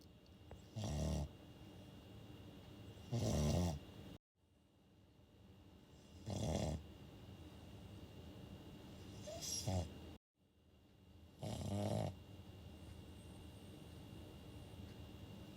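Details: Shih Tzu snoring while fast asleep at home: five low, rough breathing snores spaced two to three seconds apart over a quiet room hum, with two abrupt cuts to silence.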